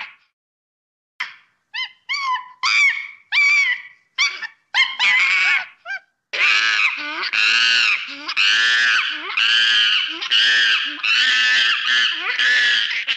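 A monkey gives short, shrill harmonic cries that run into a long bout of loud screeching.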